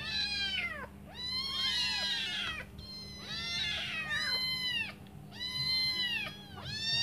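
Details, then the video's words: Hungry kittens, five of them, waiting for their mother to come back to feed them, call in loud overlapping bursts of bright, wavering meows, several at once, repeating roughly every one to two seconds. "Five hungry kittens meowing waiting for their mum to come back to feed them"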